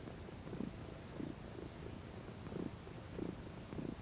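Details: Female domestic cat lounging in the sun, purring steadily: low rumbling pulses that rise and fall in a slow breathing rhythm, about every half second to second, quiet and close.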